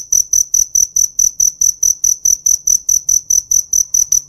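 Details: A cricket calls in rapid, evenly spaced shrill chirps, roughly four per second, each a high buzzy pulse with a faint overtone, continuing without pause.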